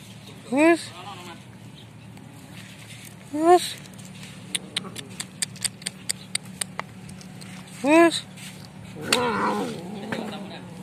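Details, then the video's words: Hungry stray cat fighting for food after snatching another cat's food: three drawn-out, harmonic wavering yowls near the start, middle and end, with a run of sharp clicks in between and a rough, noisy burst late on. "Wild Cat Fighting For Food"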